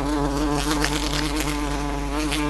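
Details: Queen buff-tailed bumblebee indoors in a house, trying without success to get out through a closed window; steady loud droning buzz with a low, even hum and rich stacked overtones, continuous throughout, no pauses.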